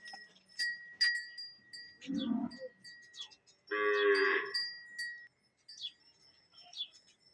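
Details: Khillari cow in Maharashtra lowing twice: a short gruff moo, then a fuller, louder moo lasting about a second and a half, over a constant bell tone and scattered clicks.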